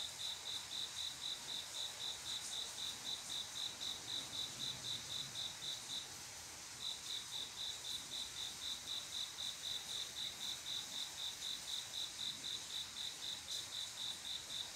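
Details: Cricket's mating call at midnight, a male courting a female with evenly paced high chirps about four per second, interrupted by one short pause before continuing; faint low rumble beneath.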